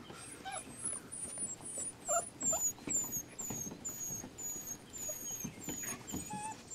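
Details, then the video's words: Rescue puppies making soft, brief whimpers among a run of thin, high descending squeaks repeated about twice a second, with light background rustling. "Rescue pups"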